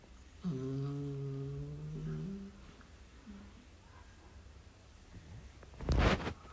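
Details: Playing beagle puppies inside a small room; one gives a steady, low, drawn-out whine lasting nearly two seconds and ending in a slight upward step, with a sharp bump and rustling toward the end.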